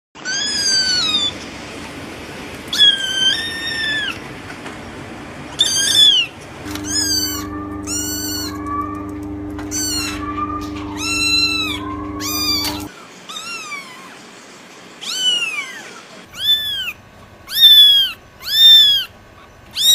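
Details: Several small cats of different colours meowing: high, arching, harmonic-rich mews repeated at an uneven pace, some in quick pairs, with a steady low mechanical hum underneath for part of the time.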